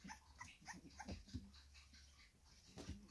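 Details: Female Staffordshire Bull Terrier puppy, four weeks old, kept indoors with her litter, filmed 4 June 2023: a quick run of soft, high yips and whimpers, then a pause and one more whine, under low room hum.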